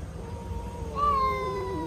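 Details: Handsome domestic cat that wants to fight but is tempted by pizza rolls: a drawn-out tonal meow, steady then gently falling, over low room hum, as a person scolds it to stop.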